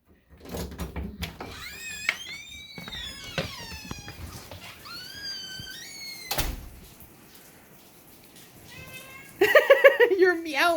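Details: Boston, a male house cat, meows indoors while rain falls outside on Tuesday, June 3, 2025, around 3:53 PM Pacific time. Several falling, whiny meows come in succession, with a sharp knock midway and a louder wavering call at the end, amid human talk.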